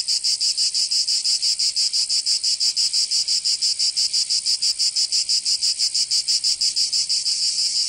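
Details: Cicadas calling in a Provençal summer in southern France: a bright, rasping high-frequency buzz throbbing evenly about three times per second throughout, with no other voices.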